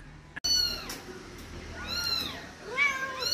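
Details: Persian cats, several kept together and being fed, give overlapping meows: a high arched cry, then a pair of bending, rising-falling meows and another late one, with laughter and talk among people nearby.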